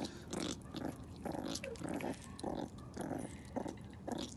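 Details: A meerkat gives short, gravelly growls in quick bursts while eating a snack, with faint chewing between them.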